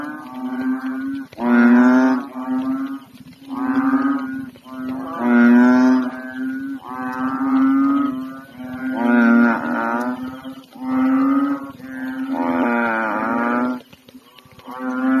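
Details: Several unusually big frogs, fully inflated, croaking loudly at night in a pond in the Philippines, one floating and swimming; deep, moaning, lowing croaks roughly every two seconds, about eight in all, with voices overlapping.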